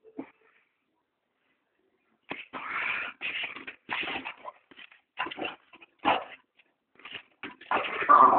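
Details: Two dogs playing fetch with a ball in a yard, giving rough breathy barks and yips in bursts of varied length, spread irregularly over several seconds after a brief opening sound.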